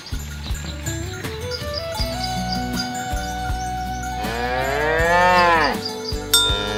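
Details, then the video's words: Herded village cows pushing through a rice field ditch toward their pen. One long moo swells up and falls away near the end, preceded by a humming background with faint bell-like tinkles. "Bunyi sapi lucu"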